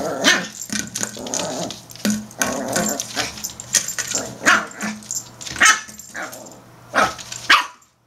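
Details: Norfolk Terrier, a pet dog, fighting a plastic bottle; several short sharp barks and growly bursts among rattling, crunching plastic noises, with a steady low hum throughout.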